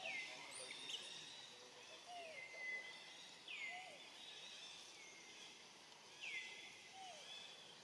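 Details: A lonely, hungry young monkey looks around and calls for its family, giving high, whistled calls that drop then level off, repeated every couple of seconds.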